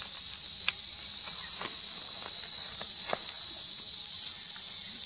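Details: Cicada in Kanha National Park during the summer months: a loud, unbroken, high buzzing drone held steady throughout, with a few faint soft clicks underneath.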